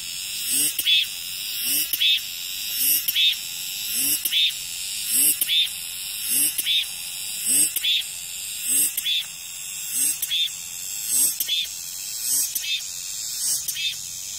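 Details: Cicadas calling after rain: a dense high buzzing hiss broken by loud rasping pulses about once a second, roughly twelve in a row, with faint low rising notes underneath.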